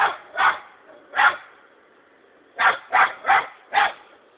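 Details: Bingo, a six-month-old hunting dog also called Sako, bays at a hedgehog it has found: two loud barks, a pause of over a second, then a tight burst of four barks close together.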